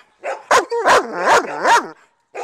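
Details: Excited female German Shepherd barking up close for her ball, four loud harmonic barks in quick succession, each rising then falling in pitch, the last one followed by a short start of another; a person commands it to speak.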